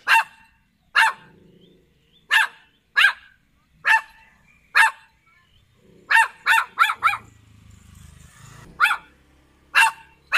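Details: Poodle barking: sharp, high single barks at irregular intervals, about a dozen over ten seconds, including a quick burst of three together, with a brief low rumble in between.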